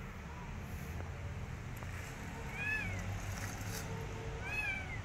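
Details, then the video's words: Kitten rescued from the street, wanting back outdoors and not eating, lets out two short arching meows a couple of seconds apart over a low rumbling background. "Rescue Kitten From Street Want To Go In Streets Again And Don't want To Eat Food"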